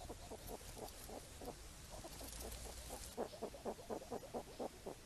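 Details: Wild hedgehogs foraging for apples in falling rain produce rapid, rhythmic grunting pulses, soft at first and then louder and more evenly spaced for the last two seconds, with a steady low background rumble.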